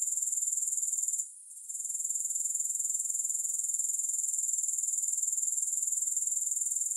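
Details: A high, shrill rhythmic chirring of grasshoppers, about four even pulses each second, broken by a short lull near the start before resuming steadily; nothing else audible.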